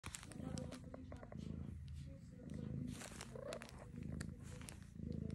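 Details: Kitten sitting in a shopping bag purring: continuous low rumbling purr in rhythmic pulsing swells, with a person's voice talking softly to it and faint bag crinkling.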